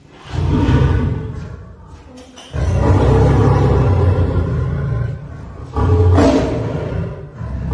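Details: Caged pair of lion and lioness, both three years old, brought through an animal exchange programme to Paragpur Zoo, Himachal Pradesh, India; deep rumbling roars in three loud bursts, separated by brief quieter gaps.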